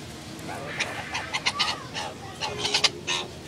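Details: Curious meerkats (Suricata suricatta) seen up close at the San Diego Zoo give a run of short, high, squeaky chirps in quick, uneven bursts.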